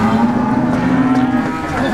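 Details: Large cattle at a market in Ponorogo before Eid al-Adha, August 2018: one long, steady, low moo held for nearly two seconds amid a busy crowd background.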